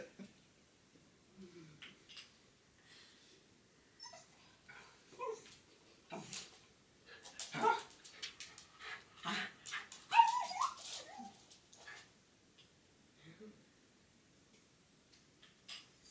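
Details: Jack Russell Terrier, trembling while watching a grey squirrel, lets out faint, high, thin whimpers at scattered moments, mixed with clicks and rustling, with a person talking quietly nearby.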